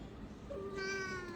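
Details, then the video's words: Lucky, a fussy pet cat, gives one drawn-out meow, a steady tonal note with clear harmonics that holds for under a second over faint room noise. "লাকি একটা নখরাওয়ালী বিলাই!"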